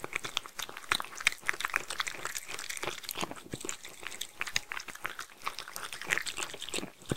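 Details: Mindy the Sheltie working through homemade food, giving a continuous patter of crunchy, clicking bites, fairly even in loudness across the whole few seconds.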